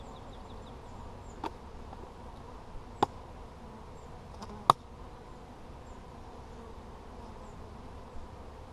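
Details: A hive check on 17 July 2020 brings up a continuous low drone of many honey bees, broken by a few sharp knocks from the hive being handled.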